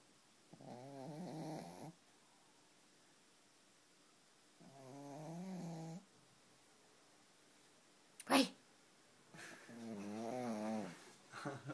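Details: Pug relaxing indoors, snoring in rhythmic, rattly breaths of one to two seconds, spaced about four seconds apart. A sharp knock sounds midway, and a longer, louder snore follows it.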